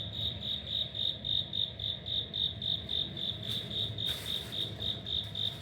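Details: Cricket living in the corridor of an apartment building in Wada 1-chome, Suginami, Tokyo, recorded on an autumn day, 5 October 2025: steady, regular high chirps, about three to four per second, over a low background hum.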